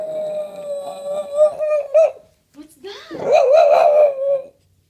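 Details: Archie, a Boston Terrier, mimicking a sound indoors: a long, steady, held tonal note, a short break, then a louder wavering vocalization that bends up and down before fading out.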